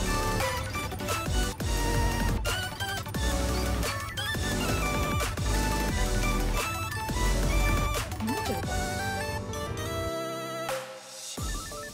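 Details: Loud, driving music with heavy beats and crashing percussion fills the whole stretch, with a brief drop near the end and no animal voice.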